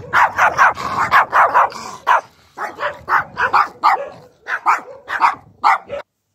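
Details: Small dogs, described as declaring themselves insecure and using aggression as a resource, bark in quick, sharp, high yaps, several per second, with brief pauses between bursts.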